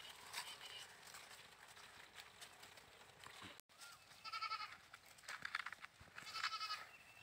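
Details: Goat bleats, two harmonic wavering calls in the second half after a brief gap, over a busy background of clicks and other noise.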